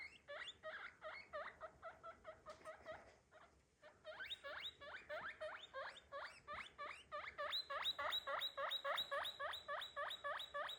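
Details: Pet guinea pig squealing in fast repeated rising whistles, a short pause midway, then a denser, louder, very regular series of about three to four per second.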